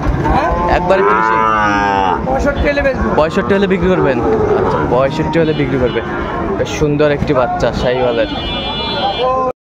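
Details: Sahiwal bull calves on sale at Ambari market, Dinajpur, Bangladesh, 28 March 2025, early in the market day; loud wavering moos in close succession, with men haggling and a passing vehicle in the background.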